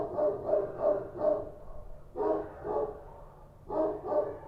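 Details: Kochi street dogs barking at night in Kabul: three volleys of rapid, harsh, mid-pitched barks, roughly three or four barks each, separated by brief pauses.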